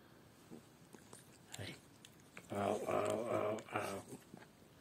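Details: Yorkshire Terrier Lucy having a Sunday morning fuss: a few soft clicks and a brief whine, then a drawn-out, wavering, whiny vocal run lasting over a second, ending in a shorter whimper.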